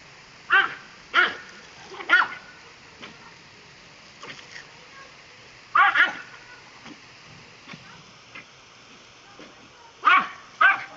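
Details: Pet Dachshund named Doc barks while playing with water as it is put on him. Sharp, high yapping barks come singly or in quick pairs, with gaps of one to four seconds and faint background noise.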